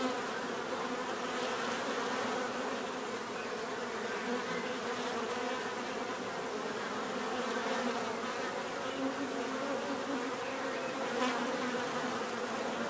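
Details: Bees humming together in a dense, even buzz, overlapping tones wavering slightly, with a faint click late on.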